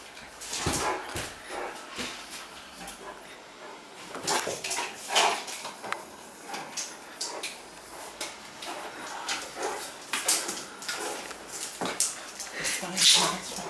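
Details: Great Dane named Cartier Bresson playing indoors in an apartment in Sao Paulo, August 2014; scattered sharp barks and huffs of varying loudness across the clip, with scuffling and movement noises in the room between them.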